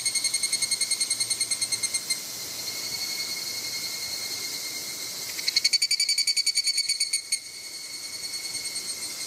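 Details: Evening cicadas singing at Izumo Ihahi Shrine in Moroyama, Japan, on 2 August 2020: rapid pulsed trills with ringing, bell-like harmonic tones; one steady chorus, then a louder nearby caller bursts in for about two seconds before fading.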